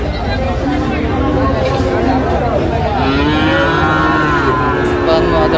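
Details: Cattle, Friesian and crossbred bull calves, at the Raniganj haat livestock market in Dinajpur on 13 November 2024: a drawn-out, wavering moo swells midway and fades, over steady crowd chatter, voices and passing vehicle noise.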